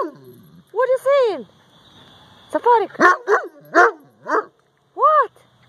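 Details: Central Asian Shepherd Dog talking to its owner with expressive arched whines and yowls, a long bent moan then a quick series of short barking woos about every half second, separated by brief quiet.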